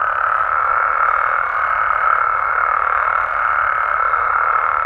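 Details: Night chorus of Mexican frogs and toads: countless overlapping croaks fuse into a dense, level mid-pitched hum without pauses, with a faint high tone faintly audible behind.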